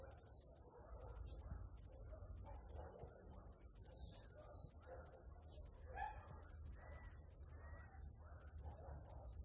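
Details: Crickets and other bugs keep up a steady, high, shimmering trill over a soft low rumble in late afternoon among wild flowers in Transylvania.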